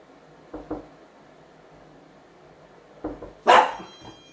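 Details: Young dachshund hound wearing a non-shock anti-bark collar with sound and vibration modes during training to curb excessive barking; two soft muffled woofs, another quiet one, then a single sharp loud bark followed by faint thin electronic tones.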